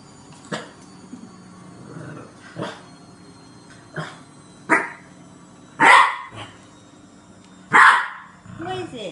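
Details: A French Bulldog puppy, scared of a green washing basket, gives short, sharp, uneven barks while a person coaxes him to be brave and get it.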